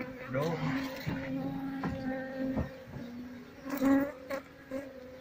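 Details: Asian honey bees (Apis cerana) kept in a home hive, disturbed during a honey harvest two months after the last one; a steady low hum with stacked overtones runs throughout, with handling noises and a voice nearby.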